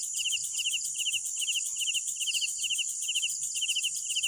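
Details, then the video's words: Crickets at night: short pulsed chirps of three to four pulses repeated steadily, overlaid on a continuous high shimmering trill from other insects, with a faint low rumble beneath. "Sounds of Night Crickets"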